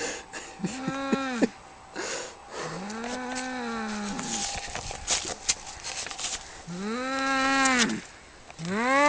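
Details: Cat fight with drawn-out, arching yowls rising then falling in pitch, three main wails separated by quieter gaps of rustling and background noise.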